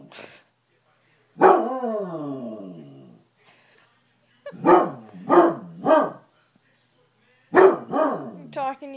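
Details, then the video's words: A male Basset Hound, upset at being left behind when his family went on a trip, gives a long falling howl, then a run of short, throaty bays. "UPSET BASSET HOUND SINGING"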